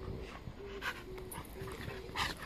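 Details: Siberian Husky puppy performing circus-style tricks while being told to sit; soft, thin whimpering tones recur in short pulses, mixed with faint scuffling and brief noisy bursts, all quiet indoors.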